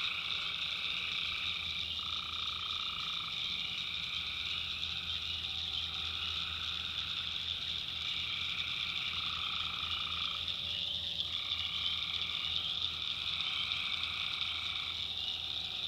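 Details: Tree frogs calling at night in North Carolina backwoods, a constant high-pitched trilling chorus with louder mid-pitched bursts lasting about a second, several times, over a faint low hum.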